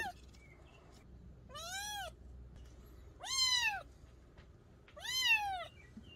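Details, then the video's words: Three arched meows from a young mountain-village cat, each rising then falling in pitch and lasting about half a second, separated by quiet gaps of over a second, with light background hiss. "고양이 울음소리 ASMR 시골쥐 퇴치용 효과"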